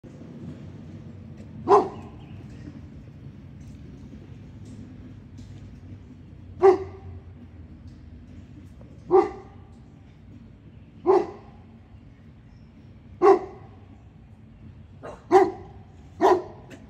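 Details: Dog, either a South African Boerboel or an American Bully, giving single deep barks spaced several seconds apart, seven in all, the last two coming closer together, over a quiet low background hum.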